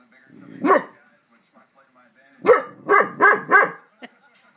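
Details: A big dog gives one deep, harsh bark, then a quick run of four, barking while fireworks go off in the neighborhood.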